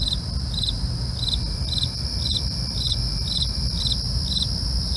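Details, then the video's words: Night crickets chirp in an even rhythm, roughly two short pulsed bursts per second, layered over a constant shrill trill and a deep background rumble. "night crickets asmr"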